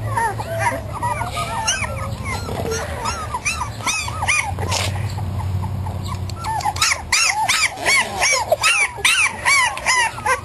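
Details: Litter of five 3.5-week-old terrier–Australian Shepherd cross puppies outdoors for the first time: rapid rising-falling whines and yips, about two or three per second, overlapping, with a low rumbling hum in the middle stretch.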